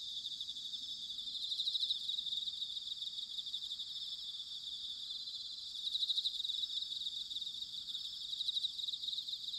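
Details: Autumn insect night chorus from Sanuki, Chiba, Japan, with bell crickets: softer, more distant high buzzing trills rising in two brief swells, under a noticeable low background hiss.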